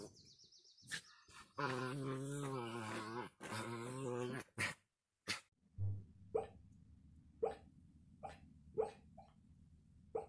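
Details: Chuck, a pet Pomeranian, gives a long wavering whine-like vocalization of about three seconds, rich in harmonics. Brief sharp noises follow, then a series of short yipping barks spaced roughly one second apart over a low steady hum.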